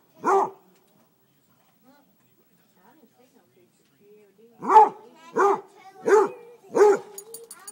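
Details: Basset Hound at the grill, barking at chicken thighs: one gruff bark, several seconds of near silence, then a run of four deep barks under a second apart, with soft whining between.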